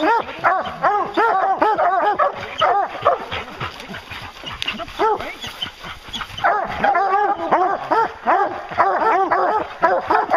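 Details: Pack of hounds on a bear hunt, several dogs baying together in a dense, overlapping chorus of arching, ringing cries, repeated rapidly with short gaps around the fifth second.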